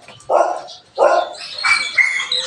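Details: Belgian Malinois, addressed as Panther, gives two loud bark bursts followed by higher yelping, whiny notes, with a man's voice nearby.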